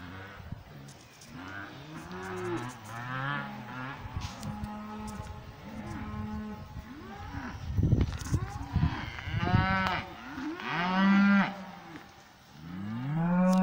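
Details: Several cows in a pasture mooing and lowing in overlapping, wavering calls, some short and arched, with bumps and handling noises in the middle and two louder moos near the end.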